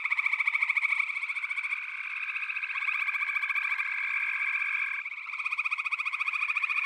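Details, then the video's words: Massed frogs in a backwater chorus. Fast pulsed trilling fills the air without pause, with a long even tone running through it and brief dips in loudness. "FROGS - Pig Frogs, Water Frogs, Backwater Chorus, & Frog Chorus"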